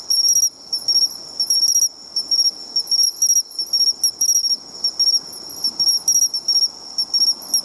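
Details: Seashore bell cricket song: bright, ringing, high-pitched pulses grouped into short bursts with brief pauses, set against a steady shrill insect chorus and faint low rumble.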